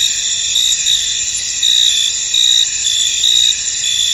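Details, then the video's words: Crickets in a misty, foggy field: a dense, steady high-pitched trilling chorus with brighter pulsed chirps swelling roughly every second over a continuous shimmering drone, no other clear sounds. "Tranquil Cricket Sounds In An Misty Field"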